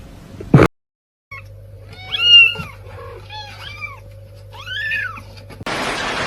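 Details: Domestic cat from a funny cats compilation meowing three or four times. Short arched meows rise, then fall, over a steady low electrical hum, with a sharp knock early on and rustling noise at the end.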